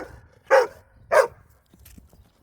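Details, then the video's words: A female dog, said to always back-talk her owner and insist on having the last word, gives two short, loud barks about half a second apart, followed by faint quieter sounds. "My DOG Is ALWAYS Back Talking ME!"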